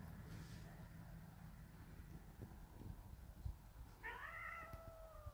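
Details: One of three young kittens at a grandmother's house, near their caretaker on the wooden porch, lets out a single short, clear meow that rises then slides down, after several seconds of quiet low rumble.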